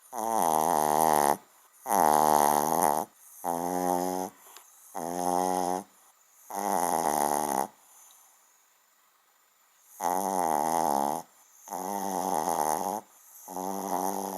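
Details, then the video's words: Small dog snoring loudly while asleep, a big-sounding snore for its size: rough, buzzy rasping breaths in bursts about a second long, repeated roughly every one to two seconds, with one longer quiet pause midway. "kleiner Hund schnarcht wie gross"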